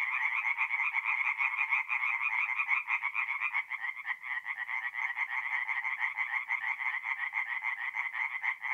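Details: Chorus of tree frogs calling by night from a forest pond in north-east Italy in mid-April, fast rattling croaks stacked together in a steady unbroken wall of sound.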